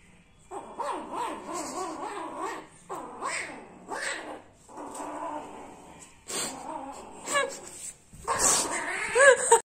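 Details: Cat screaming in a voice likened to a cartoon duck: a series of nasal, wavering yowls, each lasting one to two seconds, with quick pitch wobbles, separated by short pauses; the last burst is rougher and louder.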